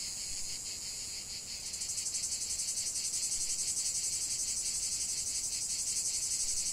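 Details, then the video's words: Chorus of cicadas: a shrill, continuous buzz that swells noticeably louder and brighter after the first second and a half, then keeps pulsing evenly and rapidly to the end. "chant des cigales"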